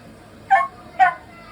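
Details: Timid young male Miniature Dachshund, born June 2021, making a fuss indoors during room construction work: two short sharp high yaps about half a second apart over a quiet room hum.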